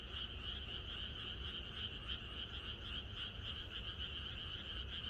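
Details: A frog chorus on a country night ahead of rain, many callers croaking at once in fast, rhythmic pulses that merge into one steady drone, with faint low background rumble.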